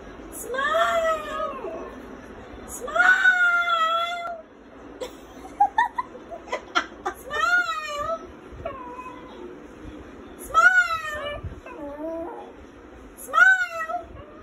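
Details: Male brown Lhasa Apso singing along with its owner: wavering, drawn-out howled notes that rise then dip, in bursts every few seconds, mixed with short higher yelps and some human vocal sounds between them.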